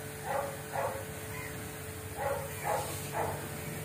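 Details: Golden retriever puppies making five short, high whining yelps in two bunches, under a steady background hum.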